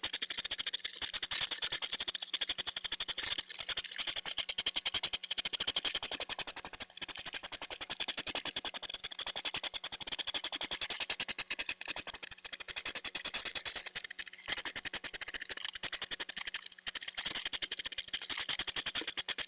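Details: Hedgehogs in mating season at a hedgehog feeding house circle each other while feeding, mostly the females huffing and snorting in a fast, steady stream of breathy puffs during courtship.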